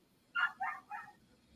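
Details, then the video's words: Female dog confined in her crate, heard in the background of a live stream: three short, fairly quiet barks or yips in quick succession, each a bright harmonic burst, with no other notable sounds. "um can you hear that dog"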